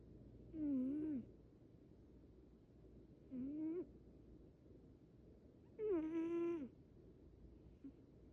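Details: A sleeping Munchkin boy snores with three wavering, squeaky whistles, one per breath, about every two and a half seconds, the last rising then dipping. A faint constant hum sits underneath.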